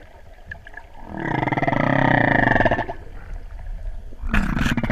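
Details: Humpback whale song recorded underwater while freediving off Hawaii's Big Island during the 2015 spring equinox total solar eclipse: a loud, rough, buzzy moan lasting about two seconds with rich harmonics, followed by a shorter gruff burst.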